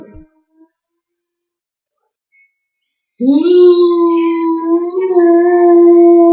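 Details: Near-silence gives way to a sustained, steady howl from George, a Gordon Setter, held on a nearly level pitch with a slight wobble midway and lasting over three seconds to the end.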